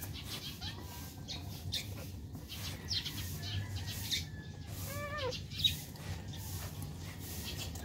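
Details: Newborn Shih Tzu puppies, one of a litter of six born on February 10, 2020 to a mother named Athena, recorded a day after birth; one arched, rising-then-falling squeal near the middle, fainter short squeaks earlier, steady low hum behind.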